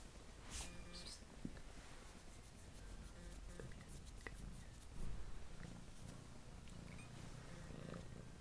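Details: Male Domestic Longhair kitten at an adoption shelter, found abandoned in a parking lot with three siblings and described as very affectionate: a steady low rumbling purr runs throughout under rustling, clicks and handling noise.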